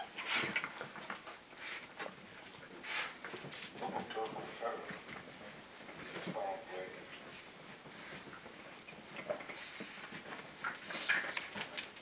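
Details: Basenji parents and their 4-week-old puppies give high, wavering whines and short yelps, with a person talking nearby.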